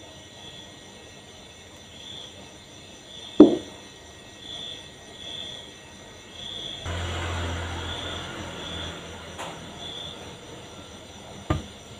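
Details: Quiet low hum with a few sharp clicks and thumps and a faint steady high tone, with no animal calls audible.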